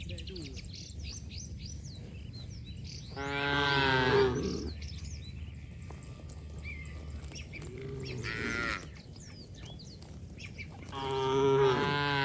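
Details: Playful cattle splashing and running through mud in the open: three drawn-out harmonic moos at roughly four, eight and eleven seconds, separated by quieter stretches full of small birds chirping and tweeting.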